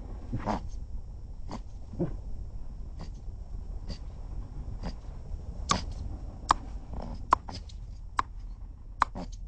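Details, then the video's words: Cape mole rat making funny noises: a series of short, sharp, clicking bursts spaced roughly one per second, several crisper snaps near the end, over a low steady rumble. "The Cape Mole Rat makes really funny noises!"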